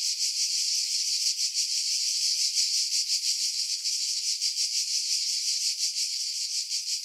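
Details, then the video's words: Cicada chorus in July 2018 among pines above Pefkos Bay on Skiros, Greece: steady high-pitched rasping drone with fast, slightly uneven pulsing, no other sounds, wind noise edited out. "Cicada Sounds, July 2018 Skiros, Greece"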